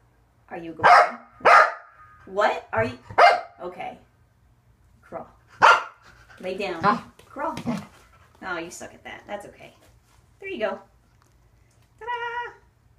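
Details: Corgi named Waffle indoors during an unedited training session with foot-extension and conditioning exercises on a Fit Bone, donut and exercise ball. Short, sharp barks and yips come in clusters, mixed with a person talking, ending in a drawn-out harmonic whine.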